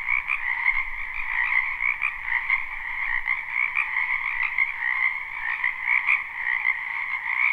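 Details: Live, unlooped recording of a spring wetland frog chorus. Close, pulsing croaks overlap in quick rattling bursts above a continuous two-toned drone, with the loudness rising and falling in short waves.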